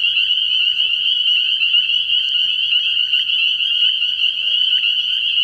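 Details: Spring peepers calling in a dense chorus at a frog pond at night early in the year: a steady wall of shrill, high peeps overlapping so closely that it merges into one continuous ringing whine with no gaps.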